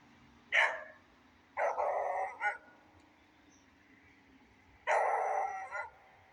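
A beagle gives a sharp bark followed by two longer, drawn-out baying barks over soft rain.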